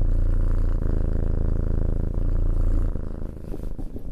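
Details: Domestic cat purring while being petted: a low, steady rumbling purr with a pulsing rhythm for about three seconds, then softer and broken up, with light clatter and scraping near the end.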